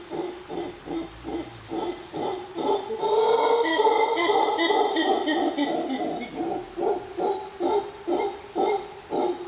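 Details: Howler monkey howling loudly in the jungle of Costa Rica: rhythmic, deep guttural grunting pulses about twice a second swell into a sustained rasping roar mid-clip, then break back into evenly spaced hoarse pulses.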